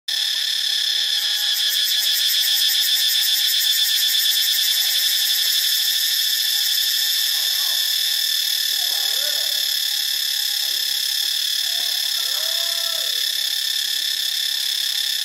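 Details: Cicadas in Ubon Ratchathani, Thailand, fill the air with a loud, unbroken, shrill buzz that stays steady throughout. A fast pulsing flutter rides on top for several seconds. Faint low chirps and squeaks appear briefly in the background.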